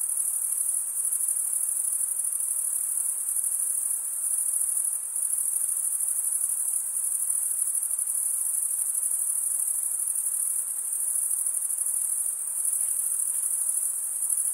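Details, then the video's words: Night-time cricket chorus in a summer forest. The insects keep up one steady, piercing high-pitched trill without pauses, its volume dipping only briefly now and then. No birds, wind or voices break through. "Pure cricket music for 20 min"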